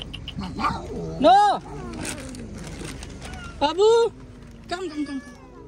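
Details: Domestic cat meowing indoors, giving two loud, drawn-out meows that arch up and then fall, about two and a half seconds apart, with a few softer meows between. A woman talks to the cat in Hindi and English throughout.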